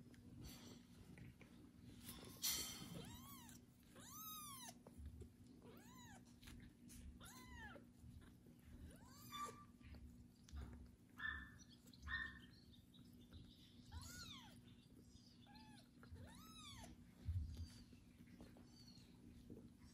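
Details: Kitten Kubik meowing loudly after his first bath while a pregnant foster mother cat licks and tends him indoors; high, arched, harmonic-rich meows repeat about every one to two seconds, with soft rustling and licking between them.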